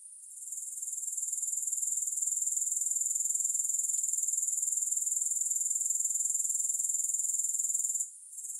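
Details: A continuous sizzling trill of grasshoppers, very high and even, with rapid pulses about four per second. It swells in over the first second and cuts out briefly near the end, with no other sounds.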